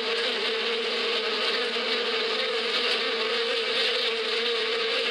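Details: Spring bees in the open countryside humming as a continuous even drone, a swarm-like buzz that holds steady throughout.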